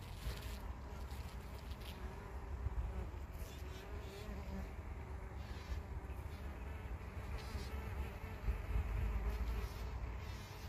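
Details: Worker buff-tailed bumblebees (Bombus terrestris) on corn poppies in Prague on 4 June 2021 give a low, droning flight buzz that swells and fades as they come and go.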